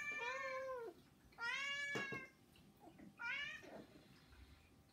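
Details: A pet cat among three in a home begs with three loud, bright meows about a second and a half apart, each arching slightly downward, with soft indoor knocks between them.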